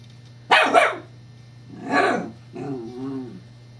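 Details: Female Scottish Terrier, indoors, playing with a new teething pacifier toy whose disc rolls, 12 July 2011: two sharp, close barks, then a harsher bark and a short tonal, whiny growl, over a constant low hum.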